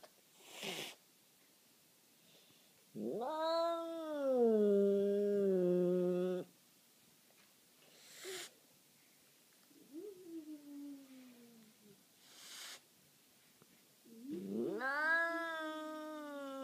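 A Bengal cat gives long, drawn-out yowls that swell and then waver on a steady pitch.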